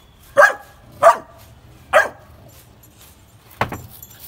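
A Labrador puppy gives three short, sharp barks, then a harsher fourth bark after a pause.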